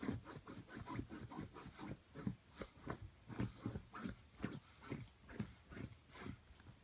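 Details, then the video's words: Indoors, the Brussels griffon Rocco scratches and paws at its bed to fluff it. Steady series of soft thudding scrapes with faint snorting, about two per second, with a brief higher rustle near the end. "Brussels griffon trying to fluff bed"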